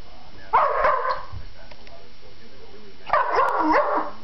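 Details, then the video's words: Pet dog named Roxie barking at nothing indoors: two short bursts of barks about 2.5 seconds apart, a quiet pause between them. "Roxie Barks"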